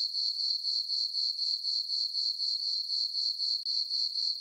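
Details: Brief stretch of crickets chirping at night in a summer meadow on a farm under a full moon: piercing high trill in evenly spaced pulses, roughly four per second, with a tiny break near the end.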